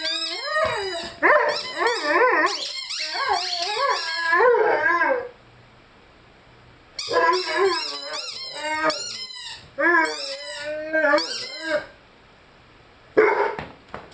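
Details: Rhodesian Ridgeback named Lyle howling and singing with his favorite squeaky toy: wavering, pitch-bending howls in bursts with silent gaps, high squeaky overtones throughout.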